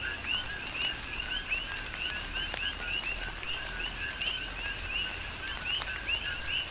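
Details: A chorus of coqui frogs on Hawaii's Big Island sings through tropical rain. Many frogs give overlapping 'co-qui' notes, a lower note then an upswept higher one, repeating rapidly beneath a continuous hiss and patter of rainfall.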